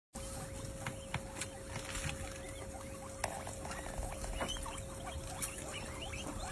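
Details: Several guinea pigs feasting, giving quick high squeaks and chirps over steady chewing and rustling, with a constant faint electrical hum.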